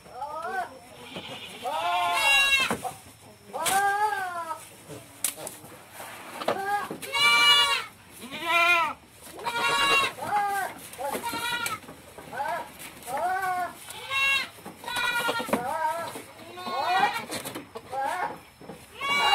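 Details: Female goat in heat in a pen on an Indonesian farm, repeatedly calling to mate: a long series of loud, wavering, nasal bleats, one every second or two, with short gaps between them, and some clatter in the pen.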